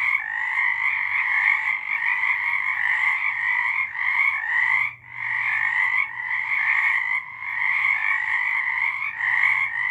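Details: Frogs in full chorus on a March 2023 night: continuous raspy croaking in two pitched layers, one short gap around the fifth second, and a faint low hum in the background.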